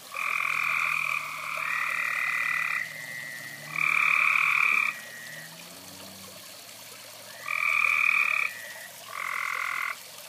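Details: A few frogs heard beside a fire; buzzy trilled calls in one-second bursts repeat at irregular intervals, some overlapping, over a quiet low murmur.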